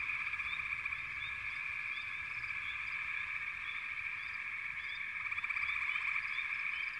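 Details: Many frogs in a backwater chorus make a continuous droning trill, with quick rising chirps scattered on top and a pulsing, louder stretch of calling toward the end.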